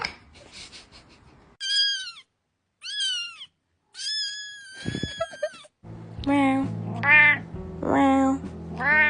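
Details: Domestic cat meowing: two short harmonic meows, then a longer falling one, followed by several wavering, yowling calls over a steady low background hum.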